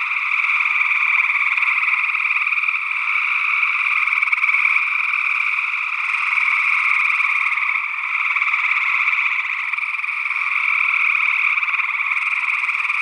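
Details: Continuous massed trilling of gray tree frogs, Northwest Wisconsin, early June 2022, stereo ORTF pair of SE Electronics sE8 microphones; overlapping pulsed calls form a steady, even chorus with gentle rises and falls in loudness.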